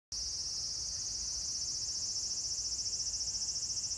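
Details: A cicada sings a steady, shrill, high-pitched buzzing drone without a break, recorded at Meiji Shrine, Tokyo, on 17 September 2018.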